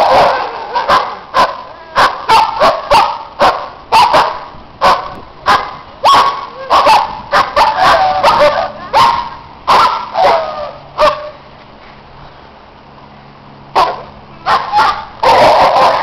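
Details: Neighbours' dogs being loud in the snow as other dogs play nearby: fast, irregular barking from more than one dog, a short lull near the end, then renewed rapid barks.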